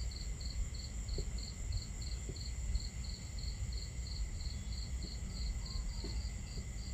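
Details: A starry night at camp with crickets: an even train of short high chirps, about three each second, continuing without break above a dense low wash of water and occasional fire crackles.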